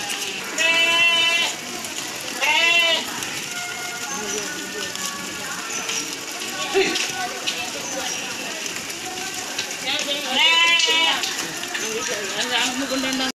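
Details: Goat herd bleating. Loud, wavering, strongly harmonic bleats sound near the start, again around three seconds and near ten seconds. Fainter bleats fill the gaps, over a constant hiss of background noise and some voices.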